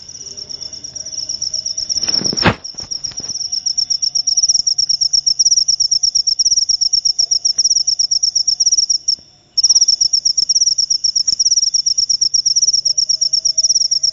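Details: Cricket of the kind called jangkrik upo, chirping in a shrill, steady run of rapid pulses; a sharp knock breaks in early on, and the song stops briefly near the nine-second mark before resuming at full strength.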